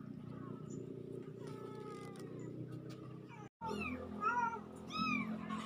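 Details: Pair of kittens recorded October 17, 2024: faint thin mews over a low hum, then after a brief dropout a burst of brighter, higher, overlapping squeaky mews.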